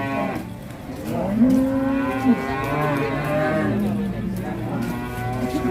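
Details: Raging cattle being unloaded from a truck, a long, even, low moo that bends slightly at its end, followed by further moos under background music.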